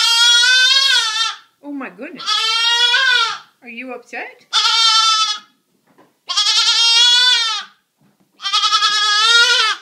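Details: Indoors, two rescued goat kids only three days old, living as house pets, call while playing and eating: five loud, wavering bleats lasting one to one and a half seconds, with a woman talking between them.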